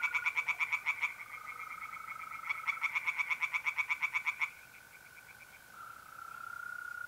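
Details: Tree frogs singing in a pond on an April night in north-east Italy: rapid bursts of loud, evenly pulsed croaks, about eleven per second, stopping and restarting, over the steady unbroken trill of mole crickets.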